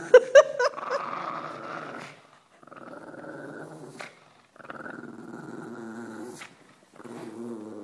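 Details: Pug growling during tug of war as a shepherd dog comes near, indoors; a few sharp yips at the start, then sustained rough, rumbling growls in three long bursts separated by brief silences.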